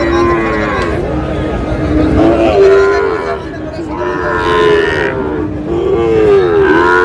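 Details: Sahiwal bull calves acquired by a farmer from Tangail, Bangladesh, 20 August 2026: a run of short, harmonic lowing calls rising and dipping in pitch, repeated every second or two, amid people talking and general bustle.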